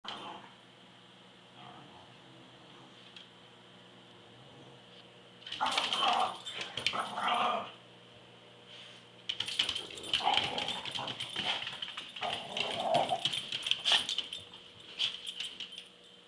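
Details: A 16-year-old deaf, arthritic, semi-blind smooth fox terrier and a taunting Boston terrier trade rough growls and snarls in bursts while play fighting, over a steady high hum.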